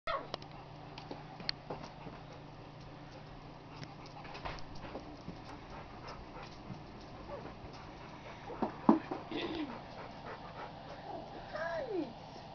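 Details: Labrador Retriever puppies at two weeks old: a few faint, brief, high squeaky whimpers, one rising and falling in a short arch near the end, over steady low background hum and soft rustling.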